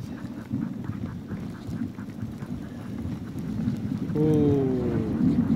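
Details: Crossbred husky mixes pulling a dog sled on a night run in heavy snow: one brief, falling, whining howl with clear harmonics near the end, over constant low sled runner and brake rumble.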